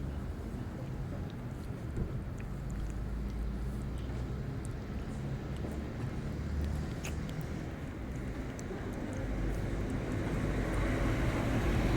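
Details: Steady outdoor urban rumble of passing vehicles with faint scattered clicks and no distinct animal call.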